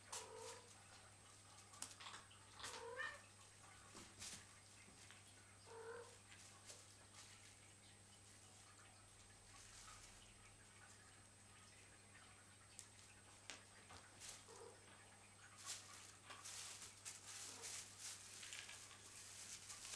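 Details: The nine kittens of Cheeta and Poema romp in their own playroom; brief, thin mews sound now and then, near the start, at three, six and fourteen seconds, among sharp clicks, rattles and scuffling, with a faint steady hum underneath.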